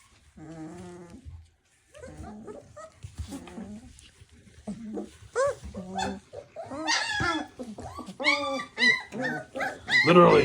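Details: Three-week-old puppies play-fighting after feeding: bursts of sharp, high yips and squeals mixed with short rough growls, coming in quick irregular clusters that grow louder and more frantic toward the end.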